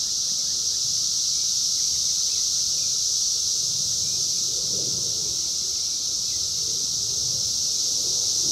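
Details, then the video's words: Brood X periodical cicadas, the 17-year emergence of 2021, heard in the wild through a phone: a loud, constant shrill whine from a massed chorus, never pausing, with a soft low background murmur. "sounds of 17 Year Brood X Cicadas 2021 in the wild"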